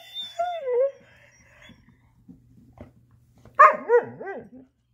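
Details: Female black Labrador-Coonhound mix Chaco, indoors working to get her ball out, gives a long sliding whine, a pause with faint tapping, then a loud wavering howl-like yelp that rises and falls several times.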